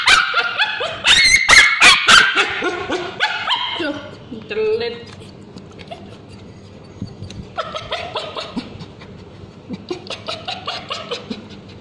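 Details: A male Bichon Frise with scabies lets out shrill, rapid screams and yelps while ointment is applied to his tail, with a person's voice in the background.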